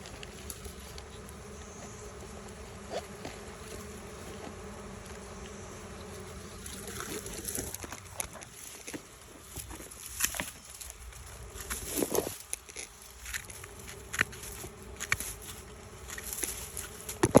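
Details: Bees swarming as they abandon their old hive for a new one: a steady low drone hums throughout, with scattered clicks and crackles over it.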